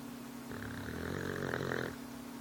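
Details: Watson, a new pup, snoring while asleep: one drawn-out, rattly snore with a steady low hum beneath it, swelling and fading over about a second and a half.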